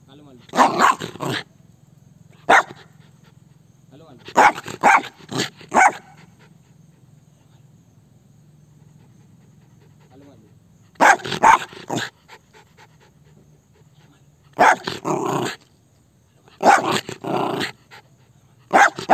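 An Indian Spitz gives sharp, high barks in quick bursts of two to four, with pauses between.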